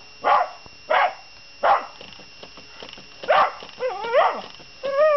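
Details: Miniature Schnauzer, a usually silent pet dog, barking at a Mr Money robot coin bank: several loud single barks spaced under a second apart, followed by wavering whining yelps that rise and fall in pitch.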